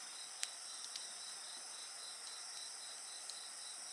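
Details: Continuous high-pitched insect trilling over a campfire, a rapidly pulsing chirp running steadily under a constant shrill tone, punctuated by several sharp wood-pops from the flames.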